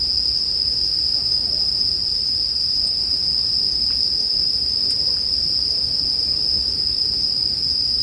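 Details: Continuous bell cricket chorus paired with bonfire sounds as sleep music, a bright sustained ringing note never pausing, with a low murmuring bed and a couple of faint clicks.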